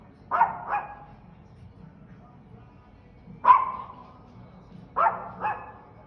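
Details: Loud dog barks in quick double bursts, a pair, then a single bark, then another pair, separated by pauses of one to two seconds over a faint low hum.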